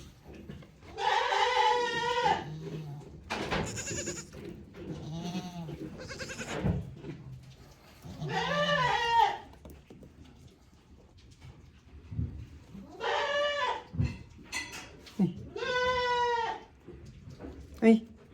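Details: Goats on a handmade goat farm in Japan, a one-year-old male and ten-day-old male twin brothers crowding around a person, recorded 10 March 2024; several wavering, harmonic bleats about a second long, mixed with a man calling to the goats and talking.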